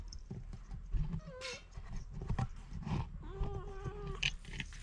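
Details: Pet cat, one of two sharing a meal of dry food, gives two short harmonic meows, the first higher and bending down, the second lower and steady, over constant crunchy chewing of kibble.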